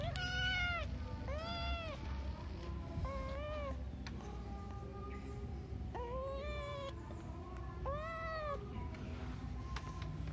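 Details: Cat meowing repeatedly, a string of clear rising-then-falling meows at irregular intervals over a low engine-like rumble.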